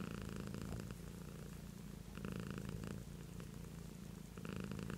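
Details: Pet cat named Beatrice purring close up, a deep buzzing rumble that rises in intensity at regular breaths around every two seconds and softens between, steady and unbroken throughout.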